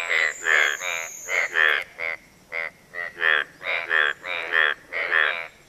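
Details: Several banded bullfrogs (Kaloula pulchra) give mating calls of short, nasal, bleating notes, repeated rapidly to attract a mate.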